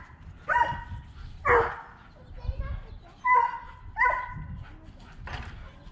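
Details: Harvey, half Siberian Husky, gets chased by Kane, a high-content wolf dog. Five sharp, tonal barks ring out about once a second, with some talking under them.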